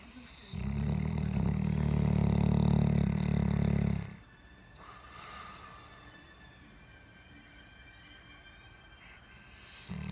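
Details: Deep, throaty snore from a South African Boerboel, a loud rattling breath of about three and a half seconds, followed by near silence and the start of the next breath at the very end.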